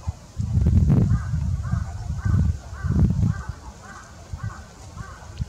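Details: Eastern Japanese common toads at a spawning gathering of about twenty to thirty individuals in a pond, mostly males, filmed 7 March 2022 in Japan; low rumbling croaks in pulsed bursts, several overlapping, with faint higher chirps above.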